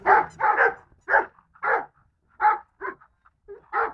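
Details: Golden Retriever barks, about eight loud, sharp calls in quick succession, some paired closely together, others spaced by short pauses.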